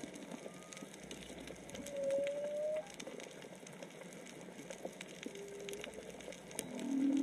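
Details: Whale voices under the sea at Onna village, Okinawa, perhaps three or four whales: a high thin tone, a rising whistled sweep, a flat mid tone, then a loud low moan at the end, over crackling.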